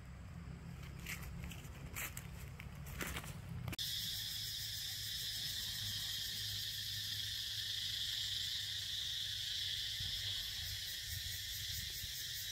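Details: Cicadas buzzing loudly outdoors near a campfire: a dense, continuous high-pitched shrill buzz from many insects, holding steady in loudness, preceded by a few seconds of rustling and footsteps.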